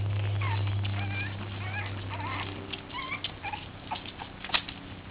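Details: Boston Terrier puppies at play give short, high wavering squeaks and whines in quick succession over soft scuffling, with a steady low hum beneath.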